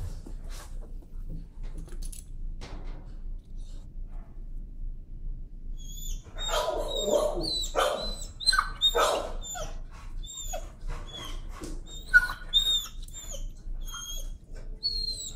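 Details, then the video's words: A timid dog, sensitive to leash pressure, protests being walked on a leash: after six quiet seconds, a run of loud, harsh, high-pitched screams and yelps breaks out and repeats irregularly until the end, with faint background noise throughout. "Timid dog, afraid of leash, screams and protests."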